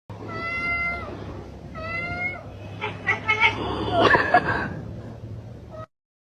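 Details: A house cat described as an extrovert gives two drawn-out, slightly falling meows about a second apart, followed by a burst of clattering, rustling household noise before sudden silence.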